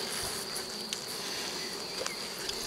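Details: Colony buzz from a drone-laying honey bee hive on 3 May 2021, after a brood frame with nurse bees was moved in from the neighbouring hive. A soft continuous hum with a few faint ticks, ending in a louder bump.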